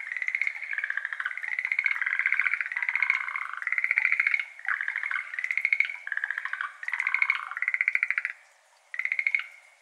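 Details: Evening chorus of Schlegel's green tree frog, a Japanese endemic, in a water-filled iris garden, May 2022, binaural Ambisonics recording; loud bursts of quick rattling pulses, roughly one per second, pausing near the end before one more burst.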